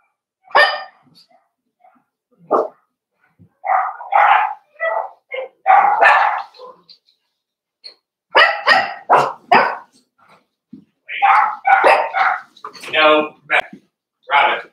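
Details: Playing Cavalier King Charles Spaniel puppies, raised inside a home puppy pen, give loud, sharp barks and yaps in irregular clusters with short pauses, some calls stretched and wavering near the end.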